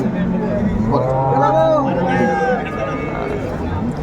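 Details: Hariana bullocks from India at a cattle market in Bangladesh, bought by a Chittagong trader; a low drawn-out moo with rich harmonics rises and falls through the middle, over steady crowd babble, men talking and background music.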